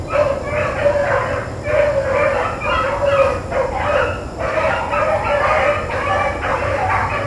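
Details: Blackcreeks and Blueticks trailing rabbits, recorded April 4, 2013: a nearly continuous chorus of overlapping hound bawls, notes running together with short gaps, over constant low-frequency background noise.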